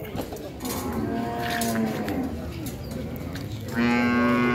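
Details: Cow mooing in low, drawn-out, harmonic lows, one long moo near the middle and a louder, steadier moo at the end, with people talking in Indonesian and a background hum.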